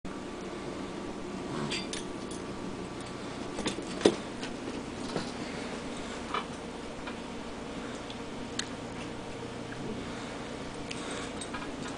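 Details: Quiet indoor room with a steady low hum and occasional faint clinks and taps, with no animal voices.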